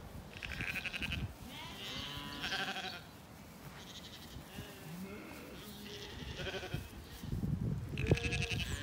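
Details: Ewes and lambs grazing together in a flowering apple orchard on a spring day in County Kilkenny, Ireland, calling to each other: a few wavering harmonic bleats, some high and some lower, scattered among quieter stretches with birdsong in the background.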